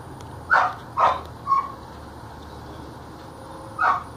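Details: Belgian Malinois during attack practice gives four short, sharp barks, three spaced about half a second apart and a fourth after a pause, over a faint steady hum.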